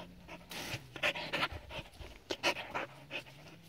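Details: Border Collie, seven years old, named Adaike Polední kámen, playing with water; short rhythmic panting, about two breaths a second, each a soft breathy puff, over a faint low steady hum.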